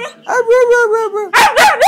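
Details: A 4-month-old Siberian husky puppy talks to its owner: a drawn-out, wavering whine-howl lasting about a second, then a burst of short, loud yelping yowls. Owner's praise is heard around it.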